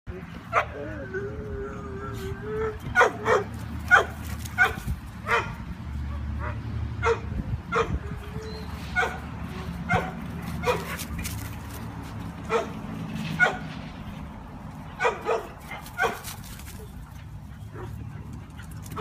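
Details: Two dogs, a Mini Brussels Griffon and a Boxer, playing tag in a yard; sharp barks come in irregular bursts, roughly every half second to second, over a steady low hum with some faint whining and voices.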